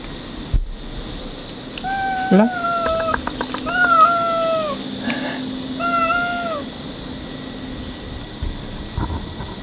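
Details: Stray cat giving three drawn-out meows about two seconds apart, each sliding slightly down in pitch, over a quiet hissing background.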